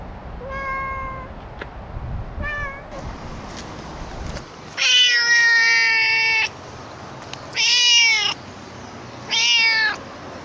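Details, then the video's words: Chatty stray cat, first with two soft, short meows, then three loud, long, bright meows about a second and a half each, spaced roughly every two seconds, against quiet outdoor background. "【おしゃべり猫10選/猫の鳴き声まとめ】Speaking cat special feature"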